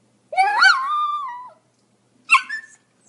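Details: Pomeranian giving a drawn-out, high, whining yelp that climbs and then slowly slides lower over about a second. A short sharp yip follows after a pause, with nothing else audible.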